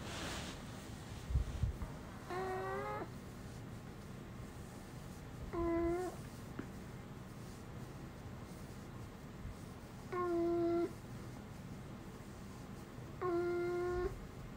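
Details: Four short, even, voice-like 'aah' notes from Uni, a dog that never barks but has made humanlike sounds since small, each under a second and spaced three to four seconds apart, against a quiet indoor background.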